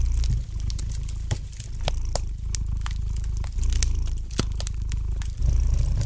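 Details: Domestic cat's soft purr rumbling steadily underneath a fireplace's light crackling, with several louder wood snaps punctuating the low drone.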